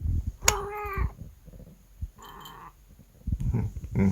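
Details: Domestic cat indoors with a surprising, quick-tempered charm utters a clear, tonal meow, then a shorter, softer mew and a brief third call, with rustling, thumps and low background noise in between.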